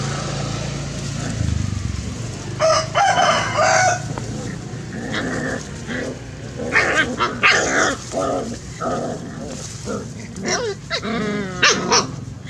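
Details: Puppies play-fighting, giving bursts of high, whiny yelps and rough growling squeals that come in clusters with short gaps, over steady low background rumble.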